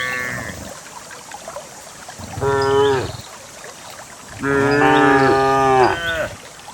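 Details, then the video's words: Dozens of cows descending a lush green hill toward a fertile valley pasture: a brief moo at the start, then two longer harmonic moos around the middle and end, the last strongest and slightly wavering, with faint background rustle. "the sound of a cow"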